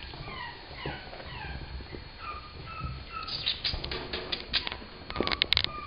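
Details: Two brindle Chihuahua puppies, both female and six weeks old, give thin, high whimpers that fall in pitch, repeated through the first half; later come faint clicks and rustling, with soft background hum throughout.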